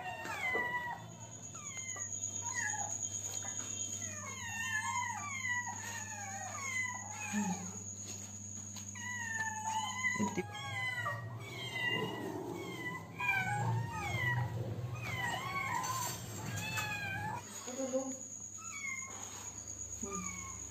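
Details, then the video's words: Hungry kittens begging for food, a dense chorus of many overlapping squeaky meows that rise and fall in pitch, nearly continuous throughout, with a low hum and some clattering underneath. "Kittens are hungry and asking food."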